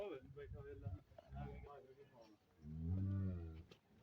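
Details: Friesian cow for sale in Pakistan: men's voices talk first, then the cow lets out a deep, steady low moo lasting about a second before the talking resumes.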